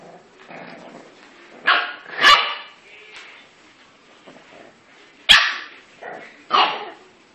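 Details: Two English bulldog puppies playing together give short, high yelping barks in scattered bursts, with soft grunts between.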